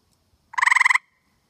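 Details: Tree frog calling to his mate from a tree on a humid night in Connecticut: a single short rapid trill of about ten pulses lasting half a second, with two clear harmonic bands, otherwise quiet.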